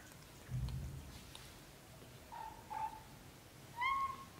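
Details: Young British shorthair kittens within their first month, from a litter of four: three faint, short, high mews, the last slightly longer and rising, after a soft low thump against a quiet background.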